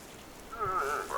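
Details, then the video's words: In September, at the start of the rutting season in island forests and moors on the Baltic Sea, a moose cow gives a wavering, nasal moan, her mating call telling the bull she is ready to mate. "the mating calls of the elk cow acoustically signalize to the bull her Readiness to mate"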